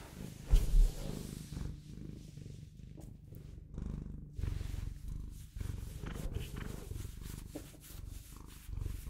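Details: Continuous low purr of a Bengal cat, a dense buzzing rumble pulsing with each breath, two brief louder knocks at the start.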